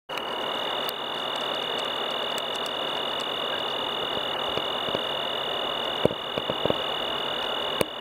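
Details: Tree crickets sing a steady, unbroken high trill over a soft hiss during mating; background cricket sounds may come from a different species.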